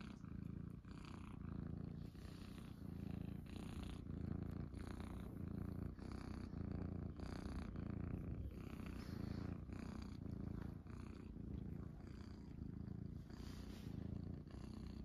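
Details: Munchkin kittens, including Pocha and Chabo, purring steadily while lying on their owner's belly indoors in the morning; a deep, continuous rumbling purr throughout, with soft rustling and faint breathy sounds over it.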